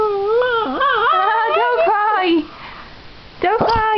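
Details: A small pet dog crying, a loud, high, wavering howl that rises and dips for over two seconds, then a short break before another sharp yelping cry begins; a person's voice is heard around it.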